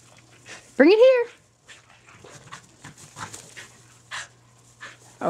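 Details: During a game of fetch, Skid, a red and white Border Collie bitch, gives one sharp, high arched bark near the start, followed by soft panting and rustling noises.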